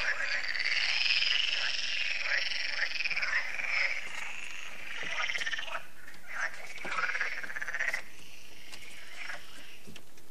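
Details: Many frogs calling at dusk at Lac de Sabatte in France, an annual concert: a busy mass of overlapping rattling croaks, loudest at the start and easing later, with scattered sharp clicks.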